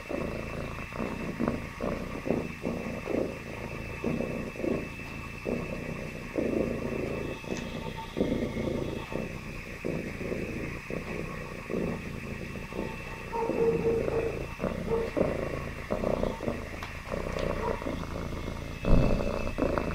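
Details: Happy domestic cat purring: a low, rumbling, finely pulsed drone that swells and fades in roughly one-second cycles, with faint, steady higher-pitched hum in the background throughout.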